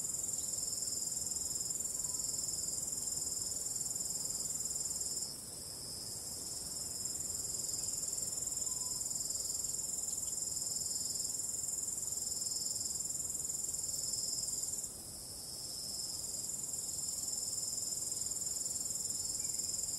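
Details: Crickets calling at night give a steady, piercing high trill that never pauses, fading slightly twice before returning to full strength, over a faint bed of calm wind.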